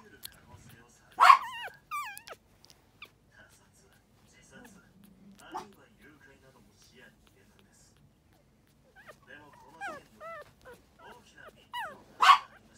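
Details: Lively male Toy Poodle puppy giving two sharp, loud yips, one near the start and one at the end, with softer whining, rising squeaky notes and human speech in between.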